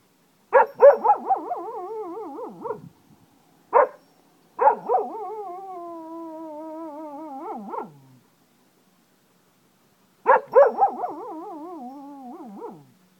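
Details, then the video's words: Wolf-like howling from a pet Cocker Spaniel in Ajloun, Jordan: three bouts, each starting with choppy yelps and stretching into a drawn-out, quavering, slightly falling howl lasting up to four seconds, separated by brief silences. "cocker spaniel howls like a wolf"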